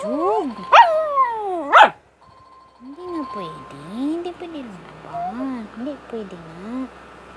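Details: Japanese Spitz dog named Buchog giving tonal whining cries. It opens with arched moans and two sharp high yelps, then after a pause a run of wavering rising-and-falling whines, about one per second.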